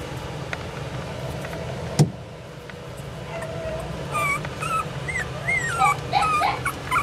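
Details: Dreaming Pomeranian puppy gives thin, whistled whimpers that slide up and down in quick bursts during the last three seconds, after a quiet start with one sharp click, over a low background hum.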